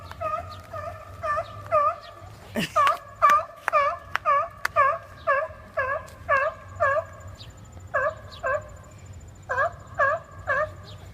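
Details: Seals arguing and making weird noises, apparently over a spot on the rocks. A steady run of short, bending, nasal bleats repeats about twice a second, with a sharp knock partway through and a low hum behind.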